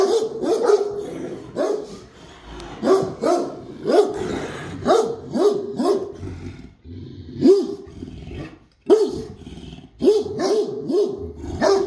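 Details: ['Great Dane barking with heavy, resonant woofs, at first singly and then in tight pairs and triples, with a short quiet gap late on.']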